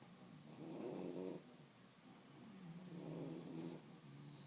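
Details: Sleepy bulldogs relaxing, with slow rhythmic snoring: two drawn-out rasping snores with a low nasal hum, each lasting about a second, roughly two and a half seconds apart, in a quiet room.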